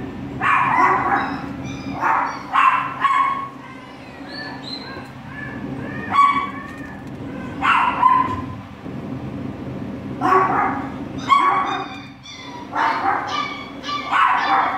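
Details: Pair of Border Collie puppies in a shelter on their first day, giving high-pitched yips and barks in clusters, with thin whining tones between bursts and a low hum throughout.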